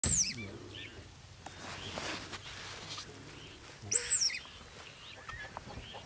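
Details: A male dik-dik gives two sharp, very high whistled alarm calls, about four seconds apart, after seeing a leopard 10 metres away in Olare Motorogi Conservancy, Kenya.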